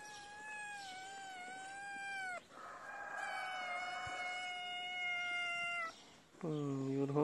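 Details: Hungry kitten crying for food, a feral cat whose mother is nearby: long drawn-out harmonic meows, two sustained cries over the first six seconds, then a shorter rising-falling meow at the end; low background noise, brief speech nearby.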